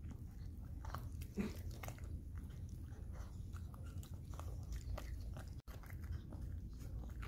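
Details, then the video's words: Dubu the Maltese chews boiled cabbage and cucumber at home while recovering from surgery. Steady wet crunches and bites repeat throughout, with one brief clatter early on, in a quiet small room. "삶은 양배추&오이 먹방asmr"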